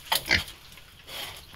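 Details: Wild boar piglets being raised in captivity give two short, harsh broadband squeals in quick succession near the start, followed by quieter background noise.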